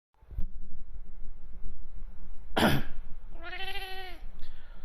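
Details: A male Bengal cat gives a short, steady-pitched meow right after a person's fake cough, reacting to it.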